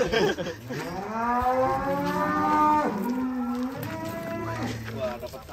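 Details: Huge cow unloaded from a tilting truck lets out a long, deep, drawn-out moo rich in harmonics, sliding slightly downward, then a second, lower lowing call, with faint people talking behind.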